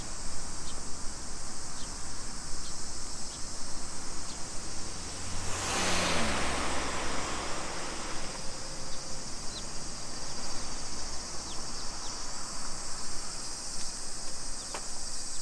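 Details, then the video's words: Cicadas singing in summer in suburban Nisshin, Aichi, Japan, 2 PM, 28 July 2021: a constant high buzzing wall of sound, briefly swamped by a passing car around the middle, with occasional ticks. "Summer Cicadas Sounds"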